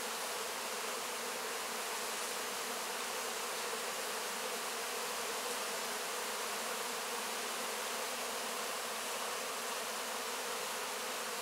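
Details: After a honey harvest, honey bees swarm over wax cappings licking up honey; a thick, continuous hissing hum of the busy bees runs evenly from start to finish.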